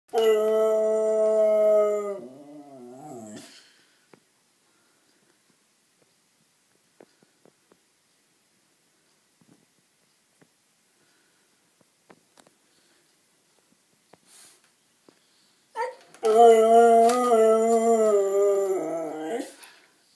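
A Siberian Husky puppy gives drawn-out, wavering howl-like cries, typical husky 'talking'.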